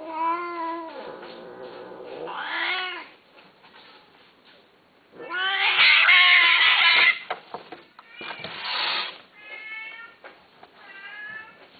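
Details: Himalayan Persian cats, a male and a female, caterwauling while mating: loud, strained wails that swell harshly, broken by short rough cries and clicks, with brief quiet gaps between bursts.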